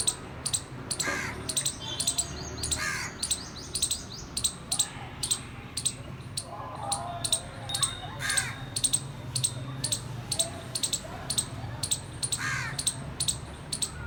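A squirrel gives a steady run of sharp, clicking chips, broken by a few harsher, raspy calls.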